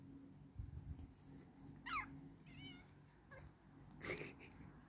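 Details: Cat sound from a funny cat compilation: two short, wavering meows with bright harmonics, one rising and falling, then a brief higher cry near the end, over a low steady hum and faint background noise.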